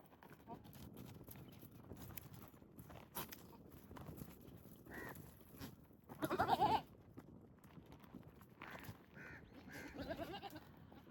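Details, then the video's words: Goats in mating season, with males courting and competing for females while pregnant females graze nearby; one loud, brief, harmonic bleat bursts out near the middle, surrounded by faint repeated caw-like calls and steady outdoor background noise. "Epic & Romantic Goat Battle: Strange Sounds, Gentle Touches & Pregnant Females"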